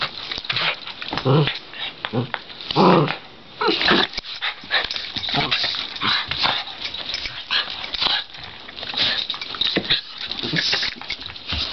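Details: Two Cairn terriers, brother and sister Wimogene and Oliver, wrestle indoors. One is a foster with Col. Potter Cairn Rescue. Rough, noisy growls and snarls come in bursts, with scuffling between them.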